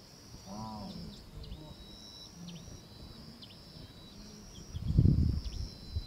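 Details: Lost wildebeest calf searching for its mother against the tide of the migration in southern Serengeti, Tanzania, amid a mega-herd around a fresh hyena kill; short low nasal bleats and grunts about once a second, a louder grunt near the end, steady insect whine, bird chirps.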